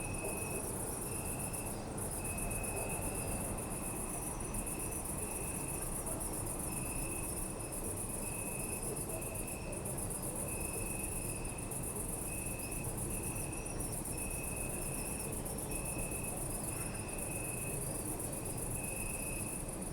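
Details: Crickets chirp steadily in pulsed bursts at night in a city park, over a deep hum of distant city traffic.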